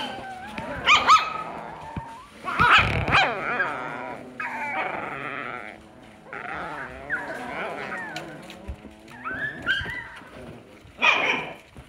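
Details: Alaskan Klee Kai. An Alaskan Klee Kai puppy vocalizes with bending, whining yodels and brief yips that rise and fall in pitch. The calls come in irregular bursts with short pauses, with faint background voices.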